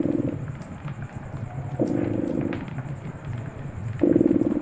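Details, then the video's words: Cat purr in a fireside setting: a low vibrating drone broken by stronger raspy surges at the start, middle and end, with faint fire crackles throughout. "Purring Cat"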